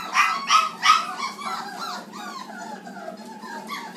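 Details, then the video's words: Black Labrador Retriever puppies, 29 days old, feeding indoors: three loud squeaky yelps open, then softer drawn-out whimpers sliding downward from several pups. "29 day old black Labrador feeding, pooing and wearing mayhe"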